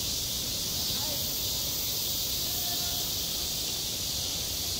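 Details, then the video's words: Summer cicadas at a school playground produce an unbroken, high sizzling drone of even strength, with a low rumble and faint background murmur beneath it. "한 여름 운동장에서 매미가 울고 있다"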